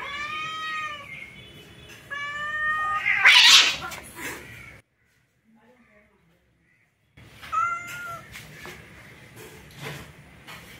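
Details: Orange male cat trying forcefully to mate with a female cat: drawn-out, wavering yowls rich in overtones, two long calls in quick succession, then a silent pause and one more yowl, with rustling and scuffling between.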